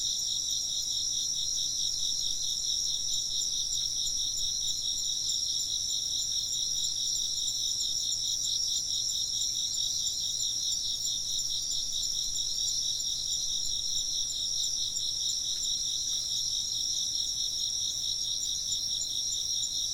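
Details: Continuous shrill insect chirping, several stacked high trills with a rapid regular pulse in the lowest, steady in loudness across the whole stretch.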